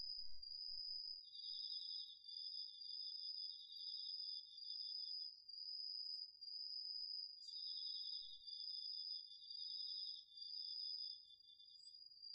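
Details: Autumn insects including crickets singing at night in a home garden vegetable plot, recorded on a DR-40X: two steady, high ringing trills, one slightly lower, held almost continuously with brief breaks, over a quiet background.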